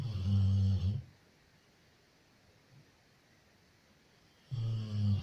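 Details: Sleeping Labrador retriever named Loya snores loudly: a strong, throaty low rumble opens, then three and a half seconds of near silence before the next heavy snore begins.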